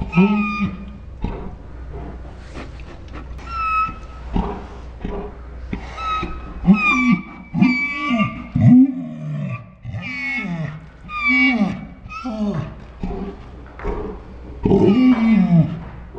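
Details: Ours the Saint Bernard 'talking' in dinosaur-like sounds: a long run of low groans, grumbles and rising-falling moans, some carrying a thin whining overtone, coming in uneven bursts every second or so with brief pauses between.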